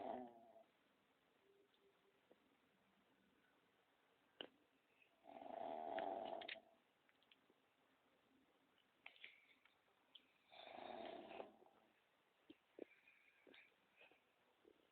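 A pug snores with rough, rasping breaths a few seconds apart in a quiet room.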